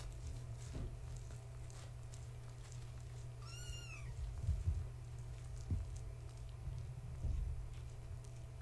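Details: Kittens of Gaia, a fluffy tabby house cat, born March 14, 2017, with their mother at bedtime indoors while being played with. One high, thin meow rises and falls over about half a second, over a steady low hum and soft thumps.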